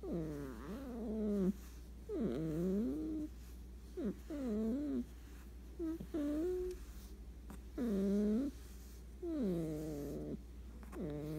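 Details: Sleeping cat snoring indoors: each breath carries a voiced, nasal, whiny tone that dips then rises, at irregular intervals of about one to two seconds, with quiet pauses between breaths.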